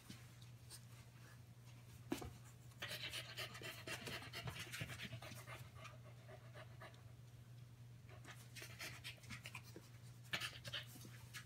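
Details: Five-week-old Keeshond puppies, Gotham and Gem, playing with their mother Promise; quick breathy panting in bursts with scuffling and soft rustling through the play, over a steady low hum.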